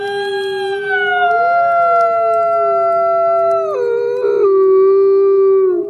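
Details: Captive-born gray wolf at a wolf conservation center in South Salem, New York, howling in the snow: one long, loud, steady harmonic howl that holds level, with a slight rise early, then drops in pitch in two steps near the end.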